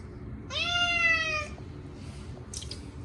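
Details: Munchkin cat Chacha, short-legged, shrieking during its annual bath. One steady, strongly harmonic meow about a second long, then brief splashes and clicks.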